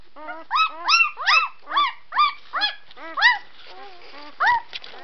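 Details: Young White Swiss Shepherd puppies yelping in a quick series of about ten strong, tonal cries, each sweeping up then down, growing fainter toward the end before one last louder whine.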